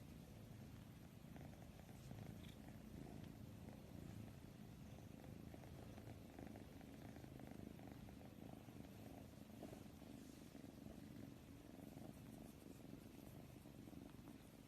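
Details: Domestic cat purring steadily, a continuous low rumbling throb with no clear breaks, quiet and close, faint background hiss.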